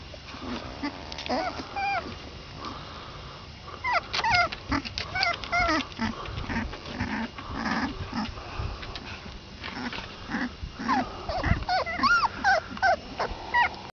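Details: Basset Hound puppies, 22 days old, several together: high, squeaky whimpers and short yelping squeals, many bending up and down in pitch, come in dense overlapping bursts almost without pause, with soft rustling and low thumps beneath.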